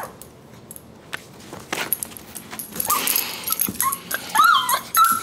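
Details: Bunk the pug cries indoors over a hat. After scuffling and clattering, high whimpering whines slide up and then down near the end. A final short whine rises.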